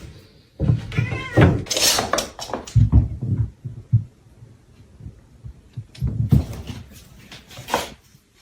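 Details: Domestic cat in a funny cat compilation: rough, noisy bursts of cat voice with a short wavering cry near the start and a loud sharp burst at about two seconds. A quiet pause follows, then another cluster of harsh bursts around six to eight seconds, with faint voices.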